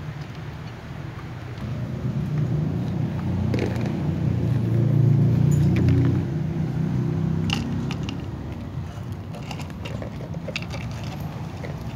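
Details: Low mechanical rumble with scattered clicks and jangles, and no clear animal voice. Sharp metallic ticks stand out now and then over the steady hum.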